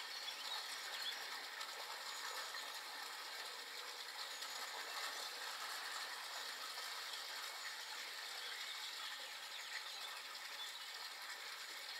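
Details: A steady, dense rattling hiss like a ratchet or machinery runs throughout, with no clear animal calls standing out.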